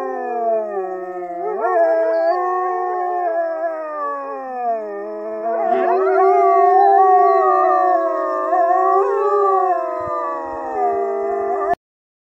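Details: Norwegian wolves howling together, several long overlapping tonal voices sliding slowly up and down in pitch, one rising sharply near two seconds, sustained chorus lasting about twelve seconds before cutting off abruptly.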